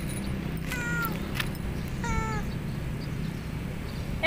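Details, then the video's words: Lonely, hungry domestic cat meowing loudly: two drawn-out harmonic meows about a second apart, each holding steady then falling slightly, over a low steady background hum. "KUCING YANG KESEPIAN DAN LAPAR MEONG DENGAN SANGAT KERAS"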